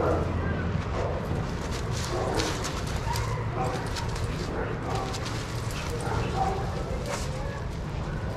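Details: Dogs playing together in a shelter yard at Pima Animal Care Center in Arizona, watched by trained handlers; scattered short barks and yips burst out over steady yard noise and people talking.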